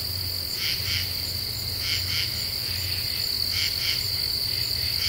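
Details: Common true katydids singing at night in a deciduous forest of the Ozarks, eastern U.S.: raspy paired pulses repeated about every second over a steady high insect drone and a low background hum.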